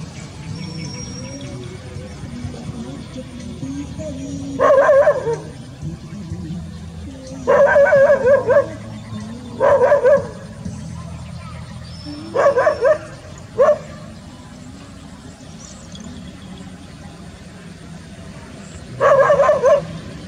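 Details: Golden and brown Labrador Retriever mix dogs in a rice field, rural setting; about six loud barks in short bursts, some doubled, spaced a few seconds apart, over a steady low background hum and faint music.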